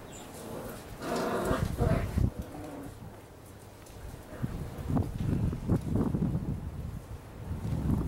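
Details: Six-week-old Labrador Retriever puppies making short, low yelps and grunting calls in bursts, with a busier stretch around the first two seconds and another from five seconds on, amid rustling and handling noise.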